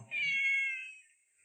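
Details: Pet cat giving a single drawn-out, high-pitched meow, steady in pitch and fading at the end, while being asked about the shoelace-like rope it brought back; faint low room sounds around it.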